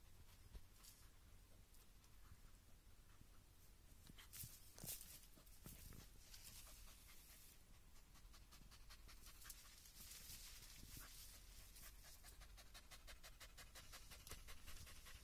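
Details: German Hunting Terrier fighting a raccoon dog that repeatedly plays dead; quick rhythmic breathy panting bursts come in steady runs through the second half, with scuffling and rustling noises from the struggle.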